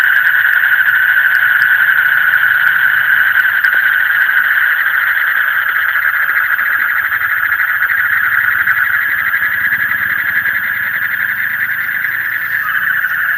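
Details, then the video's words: Dense frog chorus at deep night: a constant pulsing buzz that never pauses, with a low hum underneath and scattered faint clicks at the start. "Call of the frog in the deep night"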